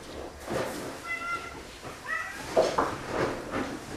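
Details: Four male domestic cats, three former strays and one from a shelter, excited at feeding time and jumping for food; two short, tonal meows a second apart over a background of light household clatter.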